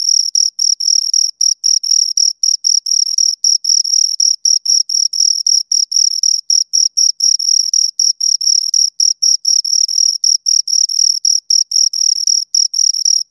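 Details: Continuous shrill chirping from two crickets, short pulsed bursts following one another with tiny gaps, a bright high tone and a fainter overtone, no background noise.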